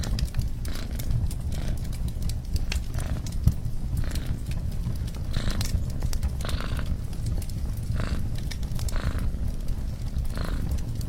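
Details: Cat purring beside a crackling fireplace: a steady low rumble that swells in soft pulses about every half second, with sharp crackles and pops from the fire throughout.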